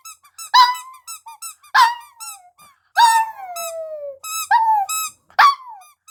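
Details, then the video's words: Singing puppy: high squeaky yelps with short falling tails, and one long howl near the middle that glides steadily downward for about a second. "노래하는 강아지 하울링"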